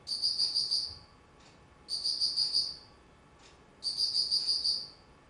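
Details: An insect calls in autumn, 19 September 2009. Three shrill bursts of rapidly pulsed ticking come about two seconds apart, with faint clicks in the pauses and little else audible.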